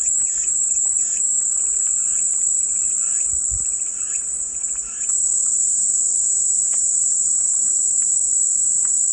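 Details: Cicada song for calming white noise: a steady, dense high-pitched buzzing drone that holds without pause, briefly softening around the fifth second, with faint chirps from other creatures beneath.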